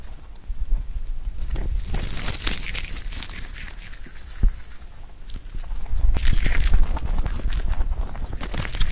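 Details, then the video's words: Pet rabbit named Huchu eating clover in a close-up ASMR recording: crisp crunching and tearing bites in quick irregular bursts, with soft rustling of the leaves. "Rabbit eating sound with Clover"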